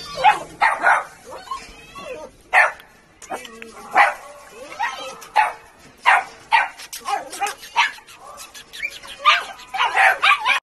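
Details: Chongqing dog recorded in Sichuan in 2021, giving short sharp barks and yips that come in irregular bursts over about ten seconds, mixed with ongoing human speech.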